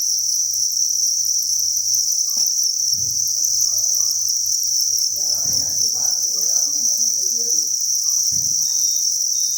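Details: Dense cricket chorus at a cricket farm breeding facility: unbroken shrill high trilling throughout, with a low hum, scattered soft knocks and a faint murmuring sound partway through.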